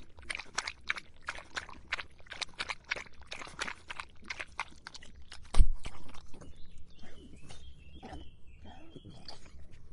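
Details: Thirsty dog lapping water on a hot summer day, a fast run of sharp wet clicks for about five seconds, then a loud thud and quieter lapping as birds sing in the background.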